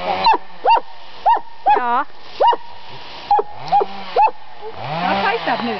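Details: Dog at a summer home in Estonia lets out about eight spaced, sharp yaps, then falls quiet as a human voice speaks at the end.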